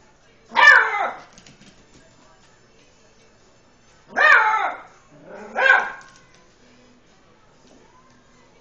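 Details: Lucy, an eight-week-old Beagle puppy, barks nervously at a tom cat while playing: one high bark, a pause of about three seconds, then two closer barks, the last with a soft lead-in.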